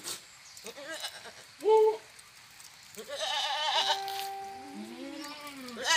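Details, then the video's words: Goat bleats, one short clear wavering cry followed by longer overlapping drawn-out calls over a hissy, noisy background with faint other voices. "goat sounds เสียงแพะ"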